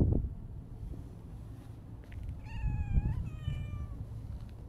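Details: Siamese mix cat giving two drawn-out, harmonic-rich meows about three seconds in, the second slightly longer and gently falling, over a steady low outdoor rumble.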